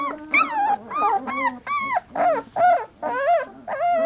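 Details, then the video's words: Three-week-old Labrador Retriever puppies cry in a run of about eight separate whining squeals, each arched and wavering, spaced roughly half a second apart, with a few softer low grumbles between. "Puppy Cacophony"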